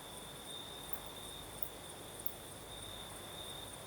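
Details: Crimean crickets singing at night in a light breeze: a constant shrill trill carries on while very high, short chirps repeat about twice a second above it, over a soft wind hiss.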